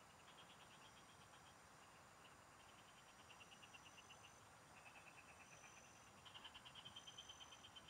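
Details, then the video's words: Singing frogs in the fields during a fishing trip: pulsed clicking trains from several callers, the last one loud and close, run almost without pause against a background of buzzing insects. "Pikinggan mo Ang MGA huni Ng MGA Palaka SA bukid| Relaxing Frog Singing"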